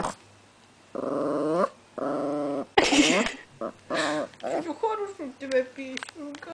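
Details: Female chihuahua growling to protect her bone: long droning harmonic growls, then a flurry of higher whiny yips and snarls, with a person's voice and some handling noise in a small room.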